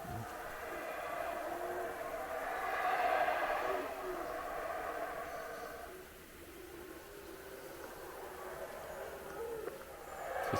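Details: Monkeys near the Palenque ruins in the Mexican jungle give deep, rolling roars that swell and fade, like a large predator's growl; first mistaken for a jaguar, they are small monkeys, many in the trees.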